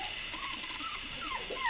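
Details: Puppies, including one named Farmer who just cries, whimpering in a string of thin, whiny glides that rise and fall several times in quick succession over a steady background hiss.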